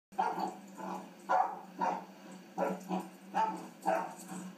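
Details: A three-month-old puppy barking during play; short, hoarse barks repeated roughly every half second, eight in a row, with a low steady hum in the background.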